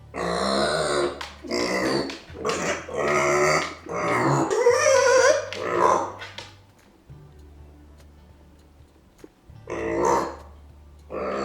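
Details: Pet micro pig named Arya, left behind by her owners, squealing in discontent and anger; loud harsh squeals and grunts in bursts over the first six seconds, then a quieter pause before one more burst, with a steady low hum underneath.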